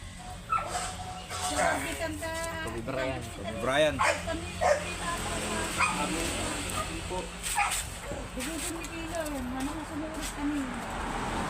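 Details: A male Dachshund at a stud service in Asingan, Pangasinan, gives high, wavering whines and short yips while people talk nearby.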